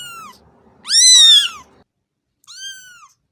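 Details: A loud, strained, drawn-out cat meow rising then falling, followed by a softer, shorter meow, with faint low background noise at the start.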